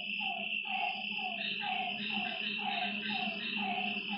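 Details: Frogs calling at night by a lakeside: short, falling, mid-pitched notes repeated about twice a second over a steady, shrill insect trill and a faint low hum.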